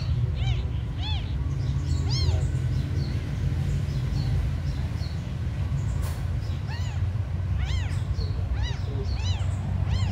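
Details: Tiny abandoned kittens cry with sharp arched meows in irregular bunches, a pair early, another around two seconds, then a run of several near the end, over continuous low-pitched background noise and a single click.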